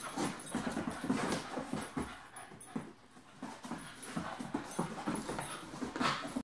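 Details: Playing puppies using calming signals, heard as a steady stream of quick, breathy, panting-like bursts and soft grunts mixed with scuffling, tapering briefly midway before picking up again, with a sharper squeak near the end.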